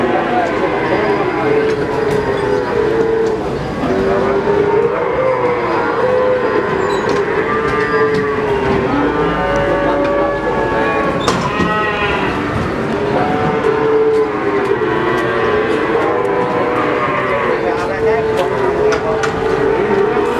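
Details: Cattle at the Pon cattle market in Ambarawa, Semarang, Indonesia, shortly before 2021: many overlapping drawn-out, tonal moos sound almost without pause, with a busy market crowd's chatter and clatter underneath.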